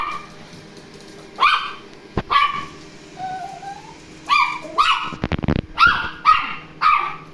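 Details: Toy terrier dog barking while meeting a robot vacuum cleaner indoors: short high yaps in a quick series after a pause, with clattering household noise between.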